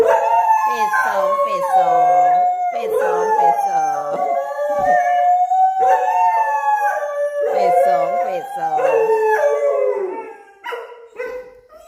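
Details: A Thai Bangkaew and a Rottweiler howl together in answer to their owner's voice, overlapping wavering howls with rising and falling pitch, nearly continuous for ten seconds before fading into short broken notes.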